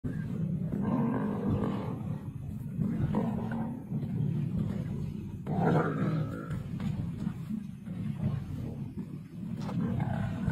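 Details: Lions of the Kambula pride feeding at a kill, recorded 2 June 2024; deep rumbling roars and growls fill the low range, rising in bursts around the first, third and sixth seconds amid continuous low background rumble.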